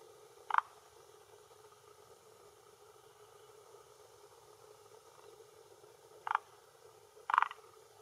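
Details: Calling male forest green tree frog at a hillside pond shore in Japan on an early June late afternoon, throat sac inflated; three brief, spaced croaks over a steady, quiet background hum.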